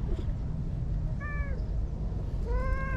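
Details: Stray brown-and-white cat Anko, living lakeside in Japan, utters two meows: a brief, faint one, then a louder drawn-out cry near the end, over a low rumbling background while someone repeats her name.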